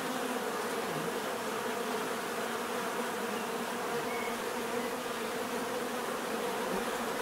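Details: Continuous buzzing of numerous bees, a rich droning hum with a faint brief higher tone passing near the middle, otherwise constant and even.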